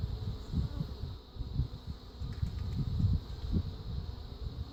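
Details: Defensive honey bee colony from a feral swarm with Africanized genes, heard while a new Italian queen is installed; a dense, low droning buzz with rapid irregular pulses, steady throughout with small surges.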